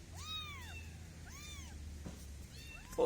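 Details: Kittens meowing: three high, arched mews, each rising then falling, spaced about a second apart, over a low steady hum, with a sharp bump at the very end.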